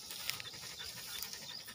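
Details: Greyhound, a six-month-old female in a village, being trained for racing; rapid, breathy, hissing panting in quick even bursts, airy and high, steady throughout with faint background noise.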